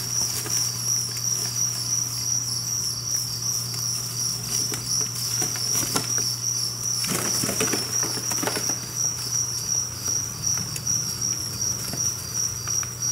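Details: A captive colony of around 1000 two-spotted crickets in a cricket apartment housing, producing a continuous high, rapidly pulsed chirping chorus; low hum underneath and a burst of rustling near the middle.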